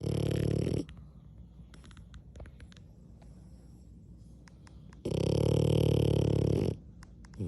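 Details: French Bulldog snoring while asleep indoors; two long, loud rasping snores about four seconds apart, with quiet breathing and faint clicks between.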